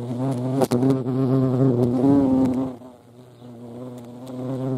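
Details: European hornet (Vespa crabro) at a feeding place in the Eifel, Germany; deep buzzing drone with many harmonics, loud and wavering for three seconds, then fading quieter as the hornet moves off.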